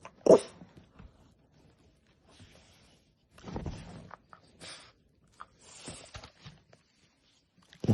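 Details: French Bulldog; scream; begging to try human food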